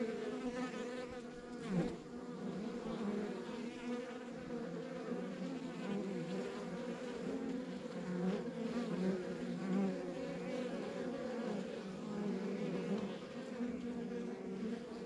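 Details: Backyard beehive in rural surroundings, many honey bees producing an unbroken droning buzz, individual bees briefly rising in pitch as they pass close, one short louder flick near the start against the even hum.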